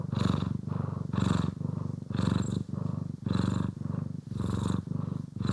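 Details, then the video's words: Close, loud purr from a pet cat (Poki or Kiwi) during grooming and brushing: rhythmic throbbing rumble rising on each breath in and out, roughly one cycle per second, no other sounds. "CAT ASMR | Purring, Grooming & Brushing"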